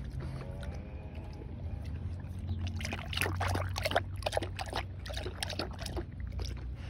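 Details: A Belgian Malinois laps water, quick splashy tongue strokes in a steady rhythm, a low background hum underneath.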